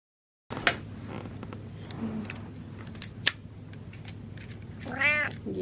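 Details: Butters the cat meows for attention, a single short arched meow with clear harmonics near the end, after several seconds of scattered clicks, light rustling and a low steady room hum.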